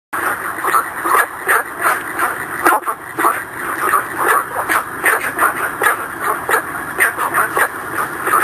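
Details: Günther's frog (Rana guentheri) calls at night at a reservoir in Hong Kong, giving short, gruff calls repeated in quick, uneven bursts.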